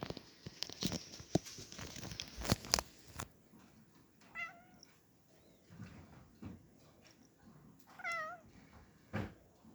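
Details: Black domestic cat meowing indoors; two clear harmonic meows near 4.5 and 8 seconds, each a short falling-rising cry, after a burst of loud clattering handling noises in the first three seconds.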